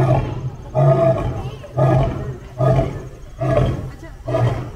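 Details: Lion roaring while meeting another lion: a series of deep, grunting pulses, each about half a second long, repeated roughly every 0.9 seconds, with heavy low rumble and hoarse breathy overtones.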